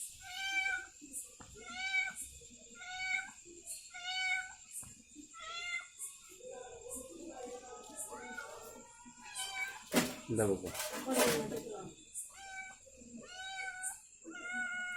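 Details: Domestic cat that has just given birth to kittens, calling indoors: clear harmonic meows repeated roughly every second, then a burst of broadband noise midway, with a woman talking and background music.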